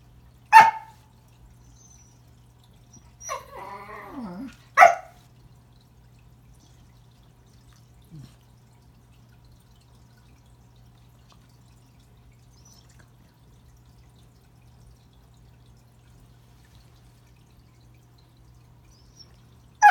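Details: Pembroke Welsh Corgi named Remington, indoors at Christmas, trying to say hello to a new toy under the tree: a few short sharp barks and one drawn-out whine, spread across long quiet gaps.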